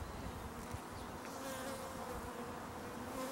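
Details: Bees in a swarm recently split from the hive, giving a steady, even droning hum that holds throughout before cutting off abruptly.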